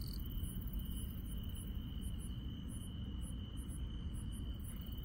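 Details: Night-time grass insects in the countryside produce a steady high-pitched trill, with quick, very high chirps repeating densely across the clip, set against a constant low-frequency rumble.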